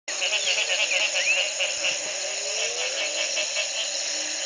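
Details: Frogs calling at the Community Baboon Sanctuary, Belize, in 2010, the morning after one night of rain ended a three-month drought: a dense, continuous buzzing chorus with several slow rising low sweeps beneath it.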